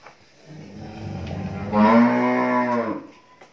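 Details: Friesian heifer calf, 13 months old, at a dairy farm in Bhangura, Pabna, Bangladesh, gives a drawn-out, harmonic-rich moo. A lower, rougher lowing swells first, then a louder, steadier bellow holds for about a second before fading out.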